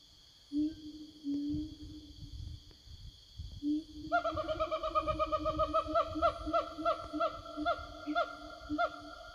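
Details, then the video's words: Forest siamang calling back and forth to their companions: a few low booming notes, then from mid-clip a steady series of loud, ringing, slightly falling barks, about one every half second, continuing to the end. "Suara Siamang Hutan"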